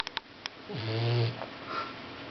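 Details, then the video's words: Ozzy, a sleeping boxer puppy, snores once: a single low rumbling breath with a falling start and strong low harmonics, lasting about a second, after a few soft clicks, in a quiet room. "Ozzy the snoring boxer puppy"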